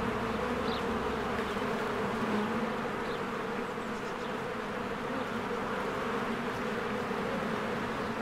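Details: Honeybees busily flying at the entrance of their hive in spring; a rich, steady wingbeat hum from countless bees, with scattered faint bird chirps overhead.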